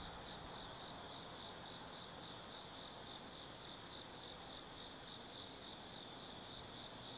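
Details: Forest insects calling on an autumn night at Tsukimi no Mori, Kaizu, Gifu, Japan: a continuous shrill high trill, pulsing rhythmically for the first two seconds, then a level steady drone.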